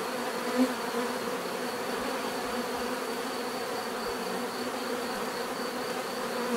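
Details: Many bees buzzing together in nature, a constant low droning hum with layered overtones, even in loudness from start to finish, no other clear sounds.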